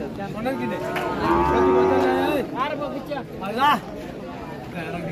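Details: A cow at a Qurbani cattle market in 2024 lows once, a sustained, level moo of about a second, followed by short bursts of human voices in the busy market.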